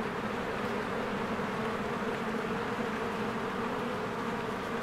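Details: Swarms of bees around their hive in springtime produce a thick, constant drone, a smooth even hum with no breaks and no other clear sounds.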